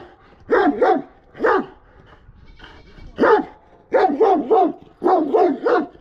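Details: A Kangal dog barks aggressively in doubled and tripled harsh bursts, with gaps of about a second between groups.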